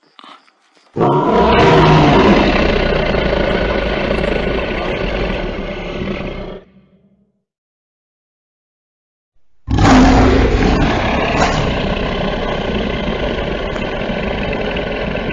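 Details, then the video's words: Lion roaring in two long bouts separated by silence, each a harsh, rasping, broadband roar that starts loud and slowly fades, with a rough growling texture. "Ryk lwa, jak robi lew"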